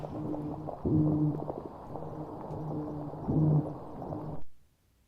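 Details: Toadfish off Georgia in Gray's Reef National Marine Sanctuary give low, droning hums with a buzzy harmonic tone, repeated in pulses underwater, likened to a whale drum circle.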